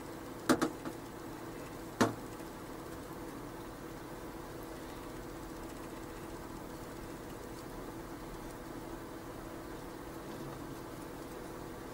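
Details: Quiet indoor room hum with a few sharp knocks near the start, no animal voice heard.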